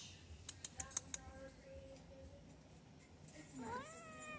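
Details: A friendly, deaf white adoptable domestic cat gives a short meow that rises then falls near the end, after a series of sharp clicks; a man's voice talks to the cat in an indoor room.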